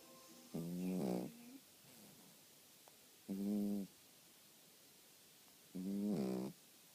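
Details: Dog snoring while asleep, three long buzzy, humming snores spaced about two and a half seconds apart, each steady in pitch, with near silence between breaths.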